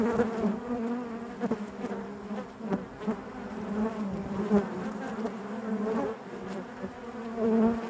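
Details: Steady chorus of honey bees within their hive, a rich low buzz with shimmering overtones that pulses gently in loudness, brief brighter bursts scattered throughout and a swell at the end.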